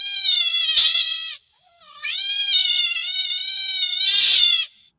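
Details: Cat delivering two long, insistent meows, the second nearly three seconds and swelling at the end, with sharp clicking noises over both calls.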